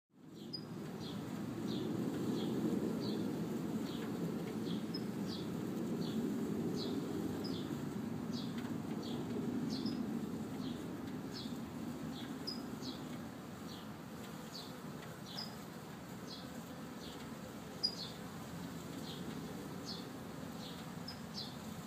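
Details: Honey bees at work in a newly installed hive, a week after being set up; a dense low droning hum fills the recording, fading slightly in the second half, with faint short high ticks repeating above it.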